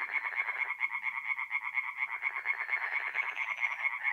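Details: Mid-April night at a forest pond in North-East Italy, tree frogs in full song: quick repeated nasal croaks stacked into a steady throbbing chorus, with occasional deeper pulses underneath.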